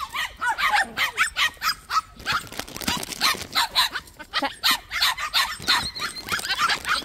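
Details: Several white puppies living at a plum orchard yip and bark almost without pause, sharp high notes repeated several times a second, outdoors with little else heard.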